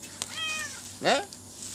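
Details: Orange stray cat visiting late at night to eat, fed mackerel or fried squid with rice, in Thailand; a short falling, harmonic meow is followed by a louder, brief rising-falling cry, with a man speaking softly nearby.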